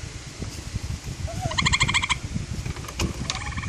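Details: A gray treefrog on a deck in Vermont gives a short, rapid, buzzy pulsed mating trill, answering a gray treefrog call played from a phone.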